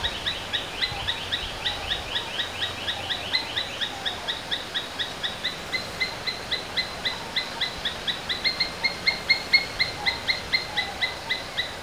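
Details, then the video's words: Asian palm squirrel kept as a domestic animal, calling in a fast run of high, shrill chips, roughly two per second, with the rhythm uneven and the notes growing louder toward the end, faint hiss behind. "Domestic Squirrels Sounds various versions | Asian Palm Squirrels"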